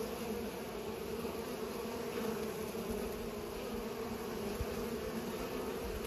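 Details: Low, constant buzzing of bees as they pollinate, a smooth sustained hum with a few faint soft knocks underneath.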